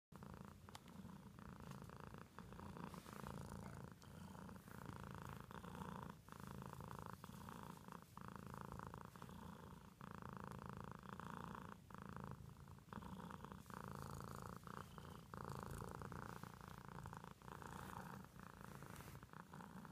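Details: Pet cat purring steadily indoors, a low rumbling throb sustained for the whole stretch with faint rhythmic breaths and no other sounds.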